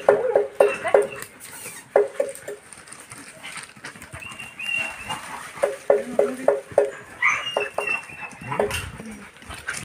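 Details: German Shepherd puppies giving short, sharp yelps in quick bursts of four or five, with a pause between bursts and a few higher squeaks and murmurs near the end.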